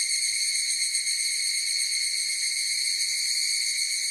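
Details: Short stretch of an evening cicada (higurashi) chorus: an intense, high, tonal whine with fine rapid flutter, constant in pitch and level from start to finish, heard over a quiet background.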